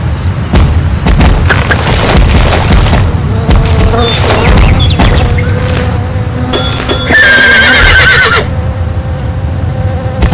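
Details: Horse whinny rising out of loud rumbling background noise, with a shaky, wavering, high-pitched neigh near the end and sustained lower harmonic tones around it.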